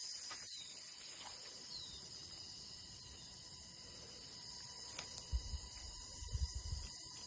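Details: Crickets keep up a constant shrill ringing throughout. A brief faint rising whistle, possibly a bird, sounds early on, with a couple of sharp clicks and low rumbling thumps near the end.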